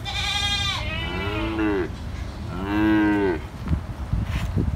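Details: Calves and grown cows calling, two harmonic moos, the first with a higher bleating onset, the second deeper and louder, followed by scattered knocks and rustling.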